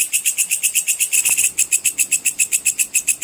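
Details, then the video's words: Bush cricket call used as a training sound for competition songbirds: dry, buzzy high pulses repeated steadily, about three to four each second, with one soft click midway. "suara belalang pedang cicir full"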